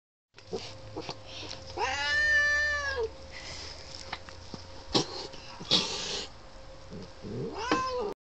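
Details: Neighbourhood tomcat described as crazy gives a long drawn-out wavering caterwaul, then sharper yowls and a final rising-falling cry, with a steady low hum and clicks in the background.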